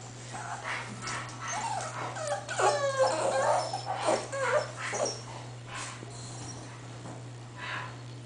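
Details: Eight-week-old English Bull Terrier puppies whimper and yip in short, thin, wavering cries.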